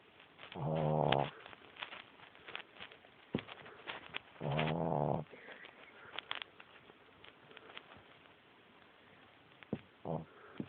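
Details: A female Boston Terrier puppy, sleeping on a person's foot under the covers, snores in low, rasping bursts a few seconds apart, audible over the TV.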